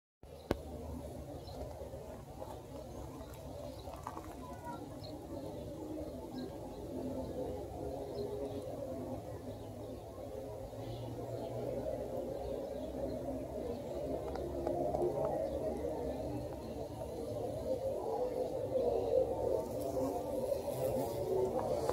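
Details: A bumblebee (Bombus, mangangá) gives a low, steady droning buzz that rises and swells as it works mburucuyá (passionflower) blossoms in Chajarí, Entre Ríos, Argentina.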